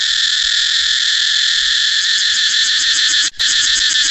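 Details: Cicada singing a loud, steady, hissing buzz that holds unbroken for about three seconds, cuts out for a split second, then resumes. A faint rapid pulsing ticks underneath in the second half.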